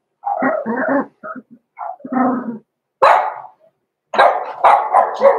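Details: Blenheim Cavalier King Charles Spaniel puppies, six weeks old, Roman and Blue, in their home puppy pen: bursts of short puppy barks and squeaky yips, with a sharp, bright yelp near the middle and a noisy cluster of barks at the end.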